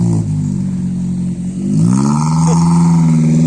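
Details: Loud engine drone with revving that rises in pitch partway through, at a bull-racing practice in Java; no animal voice can be heard.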